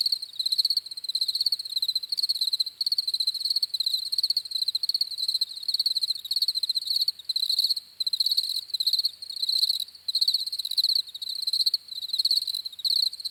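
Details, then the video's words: Crickets chirping: a steady high trilled band with an overtone above, broken into pulsing bursts of chirps, several per second, with brief gaps; no other sounds. "CRICKETS CHIRPING SOUNDS"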